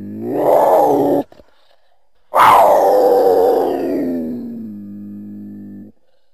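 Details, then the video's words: Mountain lion (cougar) giving two loud, drawn-out yowls, the second starting high and sliding down into a long, low, steady moan before stopping abruptly. "Mountain Lion (Cougar) Sounds"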